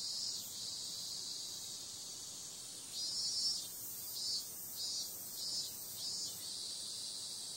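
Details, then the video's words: Night-time cicada chorus in summer: a continuous shrill buzzing hiss, calm at first, then a run of five rhythmic louder throbs about one per second before it settles back to the even drone. "Cicada sound"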